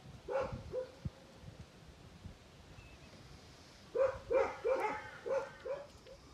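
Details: Tibetan Mastiff, known locally as Bhote Kukur, at a kennel in Okhaldhunga, Nepal: two quiet barks, a pause, then a quicker run of about six barks, each with a clear mid-pitched tone over a soft outdoor background.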